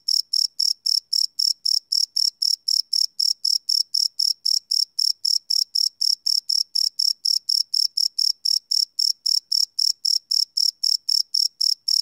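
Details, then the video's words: Night-time cricket chorus captured live on a Sony PCM D100 field recorder, no loops: shrill, regular chirps pulsing roughly four per second, unchanging in pitch and loudness, nothing else audible. "Cricket Chirp Sound - Cricket Sounds at Night"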